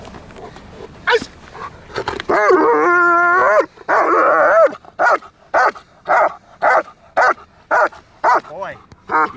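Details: German Shepherd working under control in training, giving loud, harsh barks in a steady series of roughly two per second after a long sustained, drawn-out bark, with a man's voice praising and giving commands nearby.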